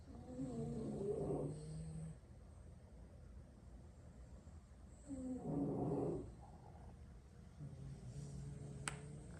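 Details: Sleeping French Bulldogs, six brothers dozing wherever they lie after a long play session, snore in three low, grating pulses spaced several seconds apart. Each breath rasps and rattles, and a faint click sounds near the end.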